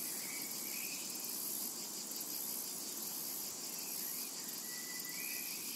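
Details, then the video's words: Summer meadow cicadas giving a continuous shrill buzzing wash that never pauses, while a few soft, thin bird notes surface faintly behind it. "Summertime and Cicada Ambience"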